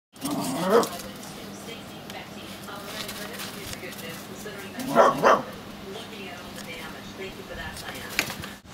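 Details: Olly, a smooth fox terrier, barks at a plastic bag blowing around in the wind: one sharp bark early, then a quick double bark about four seconds later, over a steady low background hum.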